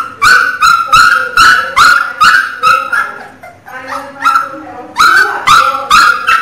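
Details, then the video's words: Loud crying from a Pinscher puppy: piercing, harmonically rich yelps repeated about every half second in steady bursts, with a short softer pause midway before the cries resume at full strength. "Toque filhote de cachorro chorando alto é de da dooo!! choro de cachorro pinscher"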